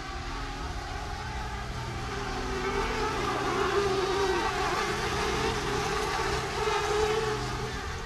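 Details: Bumblebee colony nesting under a floor, its buzzing heard from directly beneath during a nest rescue: a dense, continuous low drone with steady wavering hum and no pauses, filling the whole recording.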